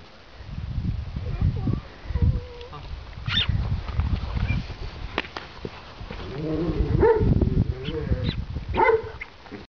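Weimaraner puppies give short, high whimpers and yelps over low rumbling and handling noise.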